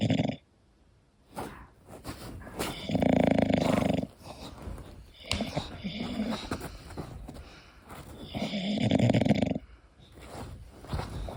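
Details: Sleeping English Bulldog snoring indoors: loud rasping snore bursts around three and nine seconds, with softer rattling breaths between and quiet pauses.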